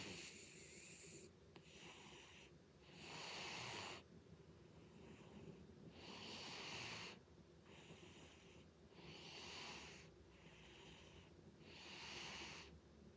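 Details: Butters the cat snoring loudly: breathy, wheezy rasps repeat roughly every three seconds, each a broad hissing swell with quieter gaps between, in a calm indoor setting.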